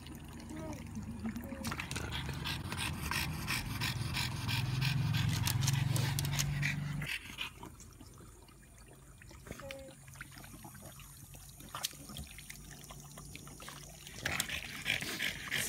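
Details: French Bulldog Pororo after a walk on a hot day: rapid, regular panting and snuffling breaths, about three per second, loud and rumbling for the first seven seconds, then softer, with trickling water and a person talking.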